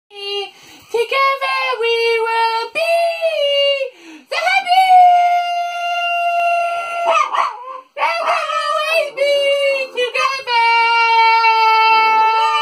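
A French Bulldog 'sings' in drawn-out, mellow howls, each note held for a second or more with wobbling, sliding pitch. Brief breaths separate the phrases, and the howls swell and fade in a song-like pattern.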